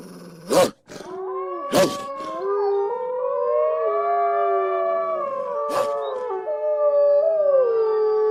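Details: Eastern timber wolves howling together, with several long tones overlapping and rising and falling against one another in a sustained chorus. Three sharp broadband bursts come near the start and midway.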